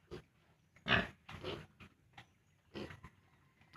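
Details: On a farm, 32-day-old piglets being separated from their sow make scattered short grunts and snorts. One louder harsh burst near the start is followed by softer, irregular ones.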